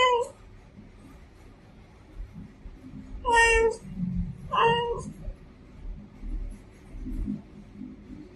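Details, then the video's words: A female domestic cat gives a clipped meow at the start, then two strong, drawn-out meows in quick succession, amid soft low thumps and room noise. "FEMALE CAT SOUND"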